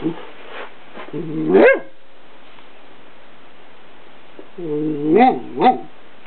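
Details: A female miniature dachshund gives whiny, grumbling vocalizations that rise into sharp yips, in two bursts, while playing with another dog.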